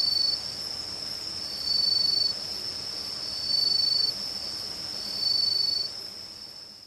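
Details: On an autumn night around a house in Uchiko, Ehime, Japan, crickets, bell crickets, matsumushi and kutsuwamushi trill in a high, steady chorus that swells every couple of seconds, with a northern boobook hooting "ho ho" in rhythm among them.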